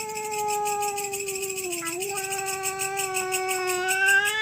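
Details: Cats fighting over territory at night: one steady, sustained low yowl with rich harmonics, dipping briefly midway before holding level again, a faint pulsing hum underneath.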